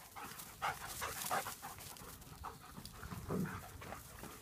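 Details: Playing German Shepherds heard in a short burst of rapid, rough, huffing pants with a few sharper breaths, over light background noise.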